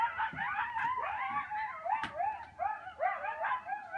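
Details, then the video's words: At sunset on Sullivans Island, South Carolina, several coyotes howl and yip together in a wavering, overlapping chorus of rising and falling wails. "Coyotes howling at sunset on Sullivans Island, SC"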